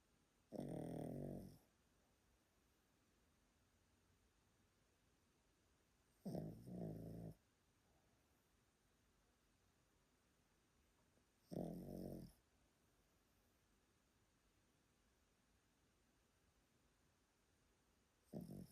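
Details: Sleeping elderly Pomeranian in Japan snoring loudly: low, rough, rumbling breaths about a second long, recurring roughly every five seconds with quiet between them, indoors.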